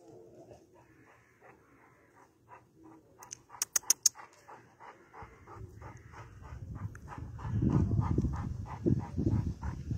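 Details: Huge Alabai Central Asian Shepherd panting rapidly, about three breaths a second, with a few sharp clicks, then rising low rumbling handling or wind noise in the second half.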